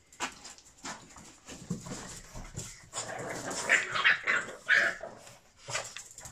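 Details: Five-month-old Boston Terrier puppy named Tonik greeting his owner after a full day apart; excited whines, yelps and short high barks tumble out in quick succession, rising in intensity midway.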